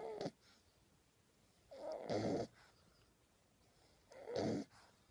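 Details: Sleeping puppy snoring, rough noisy breaths roughly every two seconds, each swelling then fading, with quiet pauses between; indoors, nothing else clearly heard.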